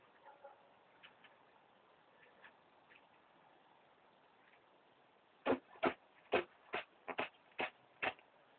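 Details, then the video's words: New Zealand White rabbit doe, two weeks pregnant and sick with Pasteurella, sneezing indoors: after quiet background hiss, a run of about eight sharp, broadband bursts comes over roughly three seconds at uneven intervals. "Sneezing New Zealand White With Pasteurella"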